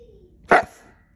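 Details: Pet Siberian Husky giving one short, sharp bark right after its owner asks whether it wants to go next time, with no other sound around it.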